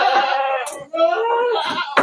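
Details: Goats being trucked at night to Jambi, Indonesia, sixty animals in the load; two long, loud wavering bleats back to back, each with a strong quavering tone, filling the whole moment.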